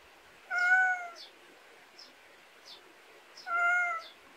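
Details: Two strong, even meows about three seconds apart from a pet cat in a countryside backyard in Korea, with a few brief high chirps in the gaps.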